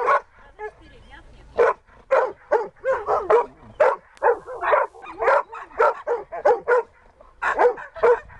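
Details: Husky Dexter in search and rescue practice: a near-silent opening, then a steady series of loud, clipped barks about twice per second to the end.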